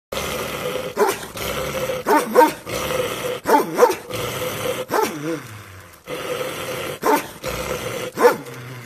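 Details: Guard-type shepherd dog barking: deep, rough barks with growly tails, about one every second in short bursts, with brief pauses between volleys.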